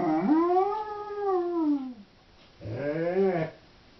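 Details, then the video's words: Female Doberman howling while left home alone, two howls: a rising then gently falling tone of nearly two seconds, then a shorter arched howl after a pause, with quiet room hiss between. "Howling Doberman"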